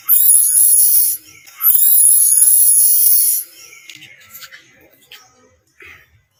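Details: Baby monkey screaming in fright after hearing people coughing; two long, shrill, very high tonal screams of about a second and under two seconds, separated by a short pause, then faint rustling and soft sounds.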